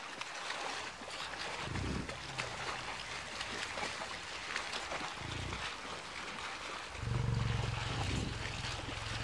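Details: Deep, rumbling grunts from an autumn herd of over 60 American bison crossing a river in Yellowstone National Park, migrating to winter feeding grounds, rise over the steady rush of flowing water.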